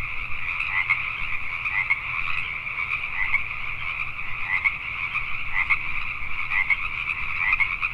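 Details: Pacific tree frogs calling at night in Richmond, British Columbia, Canada: a dense chorus of overlapping raspy croaks in a steady band, swelling in louder pulses about once a second, over a faint low hum.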